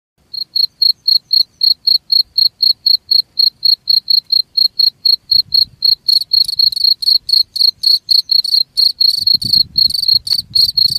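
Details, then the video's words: Cricket chirping in high, clean pulses, about four evenly spaced chirps a second for six seconds, then denser, buzzier overlapping chirps join in with soft low rumbling beneath. "SUARA JANGKRIK"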